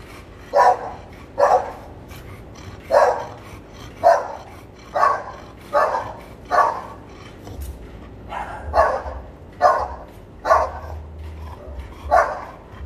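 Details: Barking American Bully at a kennel where artificial insemination is done: about thirteen hoarse barks, roughly one per second in a loose, uneven rhythm, with a constant low-pitched drone behind them.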